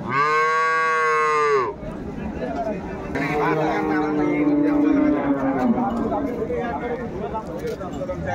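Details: A milk cow or calf at Ambari cattle market, 21 May 2024, lets out a loud, strongly resonant moo lasting nearly two seconds. Softer moos and crowd chatter follow.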